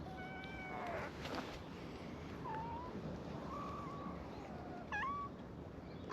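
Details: Feral cats at a cat gathering on a cat island, welcoming a visitor with meows; several quiet, thin meows scattered through the clip, one rising and wavering near 5 seconds, under a steady hiss of background noise.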